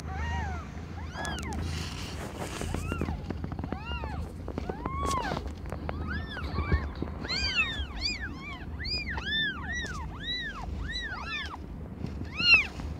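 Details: Cat birth scene with Aimee, under a year old, delivering five kittens of different colours; many high, arching mews overlap in rapid bursts, growing denser and more insistent toward the end, with faint rustling beneath.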